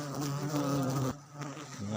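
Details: Wild honey bees buzzing at Baganga, a loud, even droning hum with rich overtones that drops away briefly after about one second and then picks up again.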